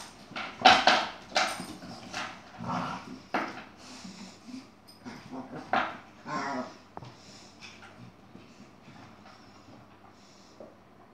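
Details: Yogi the Chihuahua and an Airedale named Roy scuffling: bursts of snarling growls and sharp yaps come thick in the first seven seconds, then fade into softer grumbling and whimpers toward the end.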